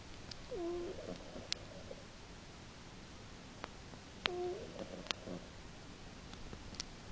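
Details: Sleeping female house cat Earle snores, March 2010, loud enough to carry three rooms: two breaths about four seconds apart, each a short whistled squeak sliding into a hoarse, raspy exhale, with faint clicks in a quiet room.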